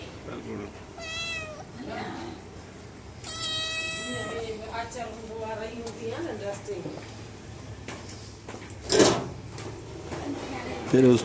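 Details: A small cat visiting the door meows twice, short rising-falling cries early on, followed by quieter murmuring sounds, a person talking, and a couple of sharp knocks near the end.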